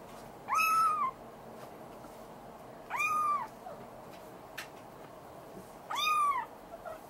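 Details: Active young Maine Coon kitten in Tokyo, Japan, giving three loud, arched meows, each about half a second long and spaced roughly two and a half seconds apart, over low indoor background hiss.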